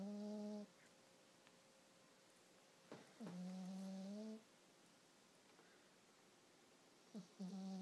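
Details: Sleeping domestic cat snoring loudly in a deep sleep, undisturbed when a blanket is removed from her face; steady humming snores of about a second each recur every three to four seconds, with soft breathy noise between them.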